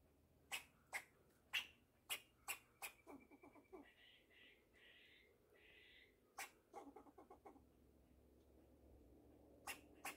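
A fox squirrel gives sharp, irregular chucks, then a run of hoarse, buzzy rasping notes.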